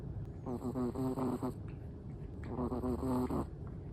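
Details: Black-and-tan Chihuahua asleep, giving two long snoring breaths about two seconds apart, each a fluttering, whistly rasp with a quiet pause between.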